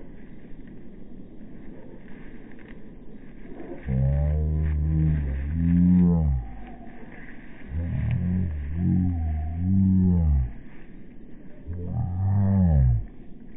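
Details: Hungry English Bull Terrier named Shiloh giving three long, low moaning vocalisations with a wavering, bending pitch, separated by short pauses, over a steady background hum.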